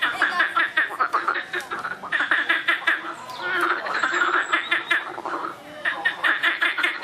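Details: A loud frog chorus of rapid pulsed, chuckling croaks delivered in bursts of one to two seconds, several frogs overlapping, with a smoother, churring stretch in the middle before the rattling trains resume.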